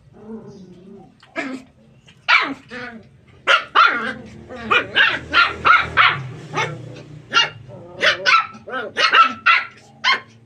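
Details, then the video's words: Puppies playing in a tight space, running and jumping, give a rapid string of short, high yappy barks, several voices overlapping, with occasional soft growls between bursts. "puppies play in tight areas, run, jump n bark. cute puppy barking.."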